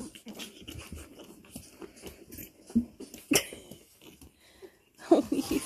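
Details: Seven-week-old puppies from Willow's litter playing indoors, one having found a hairbrush: soft scuffling and snuffling throughout, then a burst of short, sharp yelps and growly squeals near the end, with a woman's excited voice over the play.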